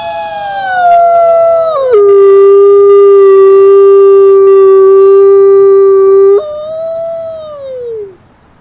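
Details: Wolf howl that starts on a mid-pitched note and drops to a low, steady tone held for about four seconds. It then jumps back higher and slides smoothly down to fade out.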